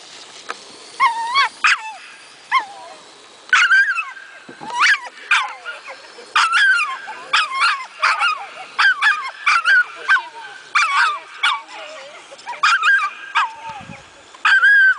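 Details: Saluki at coursing training, giving excited high-pitched yelps and whines in quick bursts, each rising then sliding down, repeated irregularly throughout with short pauses between them.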